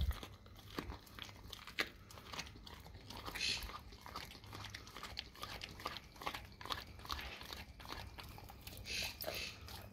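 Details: Raw cow tongue being eaten by a dog, the crunching and biting coming in quick irregular bursts throughout, with some louder wet snaps and a faint low hum behind.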